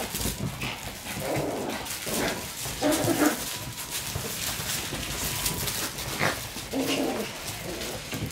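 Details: Shiba Inu puppies in serious mode, fighting over a toy: low rumbling growls in bursts near one, three and seven seconds, over steady scuffling and rustling noise.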